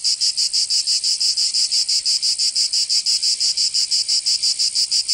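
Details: A cicada sings in the Provençal summer of southern France: a high, grating buzz broken into very regular pulses, roughly three per second, loud and close with no other sounds.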